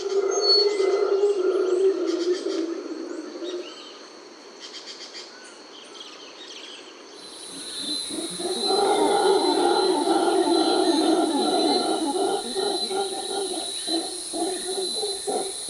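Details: Howler monkeys in a Costa Rican forest, whose loud calls serve to communicate, defend territory and settle conflicts. Low, harmonic roaring that swells after a quieter gap into a dense, pulsing chorus, over steady high insect whines.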